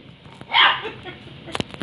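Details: A young female puppy barks at an indoor water dispenser that frightens her; one short bright bark, followed by a few clicks and taps and a person's voice nearby.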